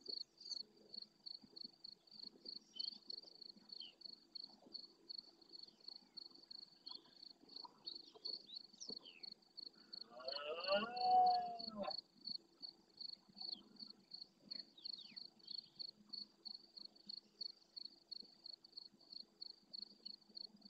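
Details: Red deer stag with 14-point antlers claiming his harem of several adult hinds and immature young at dawn during the intensifying rut, Doñana National Park marsh at El Rocío, Andalusia, Spain. One short, rough, harmonic bellow rises over steady rhythmic cricket chirping.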